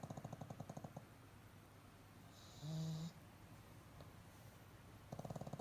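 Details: Pet pug snoring while asleep with eyes half open: a low, rapid pulsed rasp in short bursts at the start and end, with a quiet gap and a brief steady tone in the middle.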